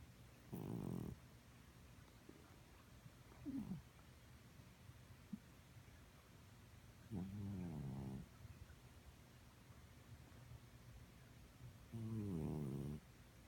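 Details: Elderly female house cat asleep, snoring loudly as she has all her life, never congested; four low, buzzing, pulsed snore breaths of about a second each, spread irregularly across a quiet room.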